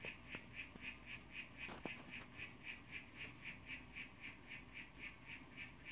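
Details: Young male harlequin poison frog, blue form, calling to a female, filmed close up on a cell phone: a steady series of short chirping notes, about four per second, over a low background hum and a few faint clicks.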